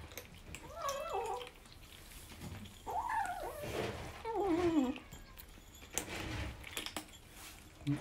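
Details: Rescued kittens of Team Zeb on their 26th day in care, chattering indoors over kibble while the brown tabby-and-white Ganmo talks most; several short, wavering meows that bend up and down, mixed with a person's soft speech.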